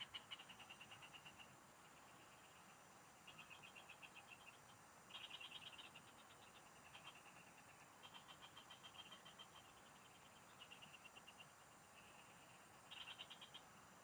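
A chorus of frogs gives repeated pulsed trills, each burst lasting about a second, with louder callers breaking through every few seconds. A faint steady hiss of insects runs underneath.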